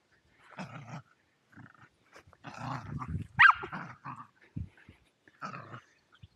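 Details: Playful Welsh Terriers Zorro and Zula at Torgo Talu Guesthouse & Farm, Estonia, captured on an Insta360 Go2: low growling spurts separated by pauses, broken by one sharp yelping bark near the middle.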